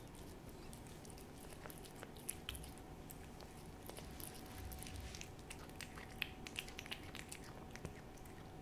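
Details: Cat Hodu eating a Ciao Churu treat, recorded as ASMR: moist smacks and clicking licks in irregular bursts, growing busier in the second half, with a low hum and faint tone beneath.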